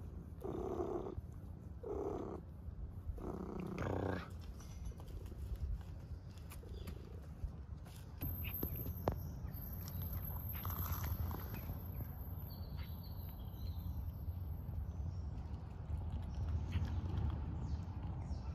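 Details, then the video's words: Hungry stray cats on the streets of Istanbul meowing loudly for food and attention: three short, harmonic meows in quick succession in the first four seconds, followed by steady low rumbling street noise and a faint high whine. "Hungry homeless cats meow loudly asking for food and attention"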